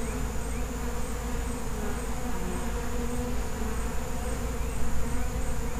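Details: Feral honey bee colony giving a thick, continuous low hum, swelling slightly louder near the end, with a faint high steady whine behind.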